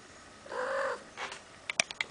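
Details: Female pet cat sitting at a bathroom window in the morning, tail wagging hard after spotting a bird, making a weird mouth sound: a half-second harmonic whine, a softer burst, then a quick run of sharp clicks.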